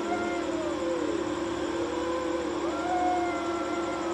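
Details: Pair of cats in a nighttime fight on a wall: sustained, quavering yowls that dip and then climb again, one voice overlapping another above a constant low hum.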